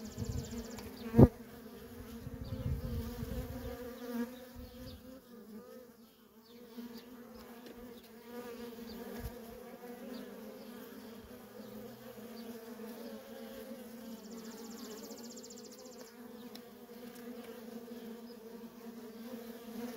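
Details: Feral colony of honey bees with workers in constant traffic: a sustained droning hum, a loud click and low rumble early on, then a smoother buzz with a faint high pulsed trill later.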